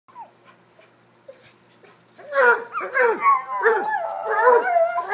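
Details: Several dogs, a cocker-hound, a Basset and a corgi, playing chase; after two quiet seconds a burst of high whining, yelping barks with falling, wavering tones, overlapping and continuous to the end.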